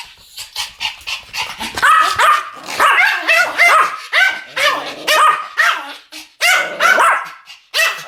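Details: Pomeranians in duet barking, a rapid run of high, sharp yaps with ringing harmonics, overlapping and tumbling over one another with barely a pause across eight seconds.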